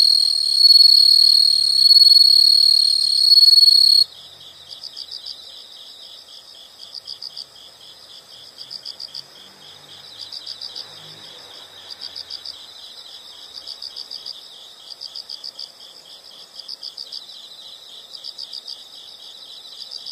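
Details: Insects in a nature soundscape: a loud, steady high buzzing trill opens the recording, then gives way to rapid, regular high-pitched chirp bursts about every second and a half over a constant shrill insect chorus.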